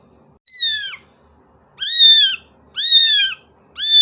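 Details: Cat meowing insistently, a falling first cry followed by three loud, level, drawn-out meows in quick succession.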